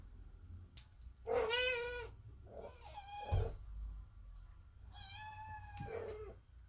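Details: Kittens meowing loudly at a closed door while their mother, the cat Chloe, gives birth indoors; two long drawn-out harmonic meows, the second slightly rising then falling, with soft room noise between them.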